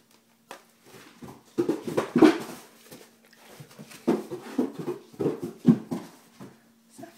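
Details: Zephyr the Great Dane, scared of 7-week-old kittens, makes clusters of short, low, breathy whimpers, two loud bursts separated by a softer stretch, over a faint steady hum.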